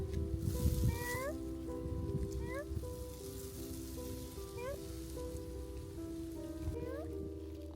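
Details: A stray cat shivers in cold rain at 6 degrees Celsius and meows. Short rising meows come every second or two against rain noise, low rumble and background music.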